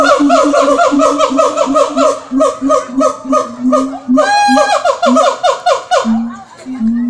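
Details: A siamang (Symphalangus syndactylus) at Jurug Zoo in Solo, Central Java, gives loud, rich hooting barks in a rapid series, broken by a rising whoop.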